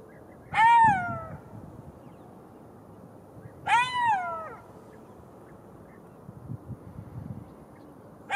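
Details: Golden jackal wails repeated about every three seconds, each a short tonal cry that rises and then falls, with soft rustling and low thumps between the calls.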